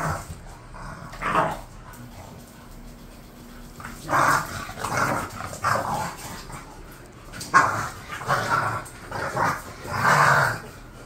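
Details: Khan and Ali, two bulldogs kept as pets and bored, let out an early yip, fall quiet for a couple of seconds, then break into a run of clustered barks and grumbling yelps through the second half.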